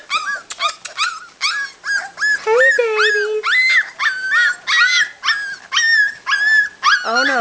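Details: Unhappy Labrador Retriever puppies aged three to four weeks, their mother outside, whining almost without pause: a dense series of high, bending whimpers, some sliding downward, with a woman's soft voice briefly heard.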